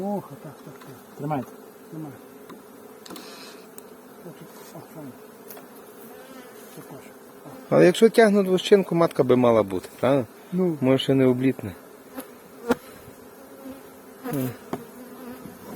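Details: Honey bee swarm being approached by a beekeeper: a steady droning hum that holds for several seconds, then a man speaking Ukrainian over the continuing buzz.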